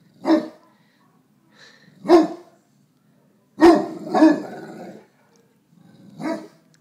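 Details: Male Neapolitan Mastiff barking at himself in a mirror, acting protective: five heavy barks, two of them in quick succession, some with a growly tail, at irregular intervals.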